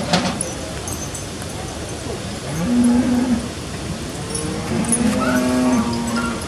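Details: Cattle brought down from the mountains in the Appenzell alpine descent, Switzerland, 2 September 2016, some calves wearing horn covers; two long, level, low moos, the second stretched over about a second and a half, amid outdoor murmur and traffic hum.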